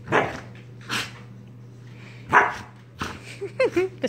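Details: Young male pet dog barking in his big sister's face, harassing her during lazy play: about three loud, harsh barks spaced roughly a second apart, then a run of shorter, higher yelps, over a steady electrical hum.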